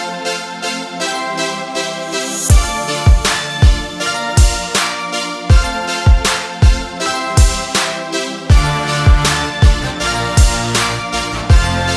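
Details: Background music only: keyboard or organ chords over a regular thumping beat, with no animal sound heard.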